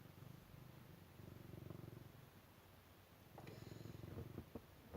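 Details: A house cat's deep, even purr, a low throbbing hum for the first three seconds, then quieter purring broken by several sharp clicks and rustling handling noises.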